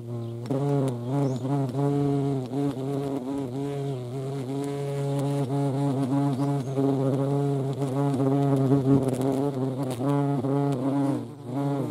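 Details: European hornet at a feeding site in the Eifel, a steady low droning buzz with wavering overtones that rise and fall as the insects move, several buzzes overlapping throughout, with faint clicks in the background.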